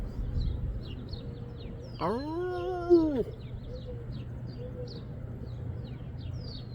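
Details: In Cypress, California, on April 21, 2025, a coyote behind a house gives a single short, arched howl that rises and falls, with faint bird chirps around it.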